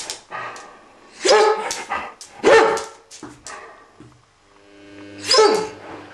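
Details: Vocal after waking, the male Ibizan Hound Make wants something and lets out sharp, bright barks in an irregular run, three close together, a quieter yip, then a pause before one final loud bark, in a quiet room.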